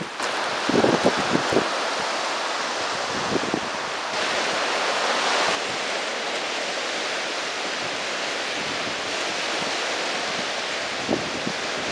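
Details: Steady surf and wind roar throughout, with a few brief thumps early on and no animal calls.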